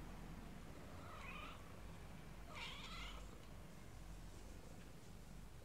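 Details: Little kittens meowing: two short, rising-then-falling harmonic meows about a second and a half apart, soft and somewhat distant over steady low background rumble.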